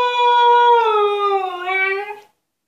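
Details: Altezza, a female Husky confined to an enclosure as punishment, howls for freedom: one smooth tone that holds level, then slides slowly downward and fades out.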